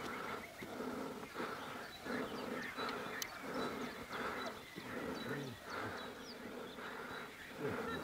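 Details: Honey bees from a wild mountain hive in rural Iran, disturbed and attacking while their hive is pulled from a bush. A thick, humming drone with stacked overtones pulses louder and softer about once a second, with light rustles.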